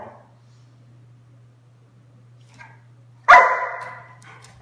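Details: Doberman named Sunday playing with her larger Mastiff mix sister indoors; a single loud, harsh bark bursts out near the end after quiet, with a steady low electrical hum underneath throughout.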